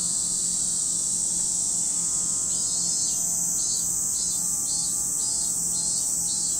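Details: At Lake Kamo, Sado City, Niigata Prefecture, Japan, cicadas keep up a constant shrill drone while, after a couple of seconds, a rhythmic pulsing call starts and repeats about twice a second to the end.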